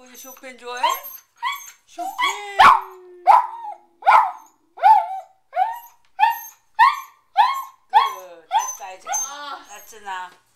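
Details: Domestic Corgi singing to Chopin's Prelude Op.28 No.7 on piano in a half-packed house; a rapid run of bright, bending yowls and yips, about one per second, building into a quavering howl at the end, with a sustained piano note.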